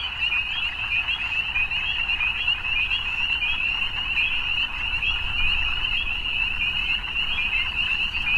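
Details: Frogs at evening, a thick steady chorus of rapid high trills from numerous animals blending into one constant shimmer, with a soft low background hum.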